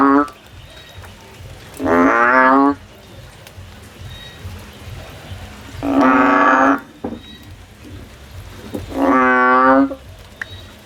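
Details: Field recording of a male frog singing: three loud, harmonic, droning calls of roughly a second each, spaced about four seconds apart over a low hum of background noise.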